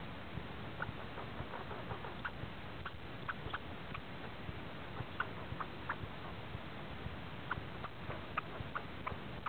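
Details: Angry pine squirrel, unwilling to share, keeps up a rapid, irregular series of short, sharp chips and clicks through the whole stretch, fairly faint against a low rumbling background.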